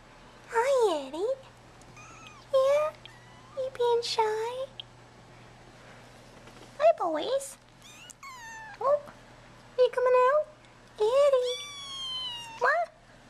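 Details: Young bottle-fed kittens, mostly males, emerging from a tent in an indoor nursery for feeding, cry with about eight loud wavering meows spaced a second or two apart, some rising, some falling, while a woman talks gently.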